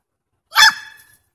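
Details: Papillon and poodle chasing a squirrel; a single sharp, bright bark rising quickly and fading within half a second, with no other sound around it.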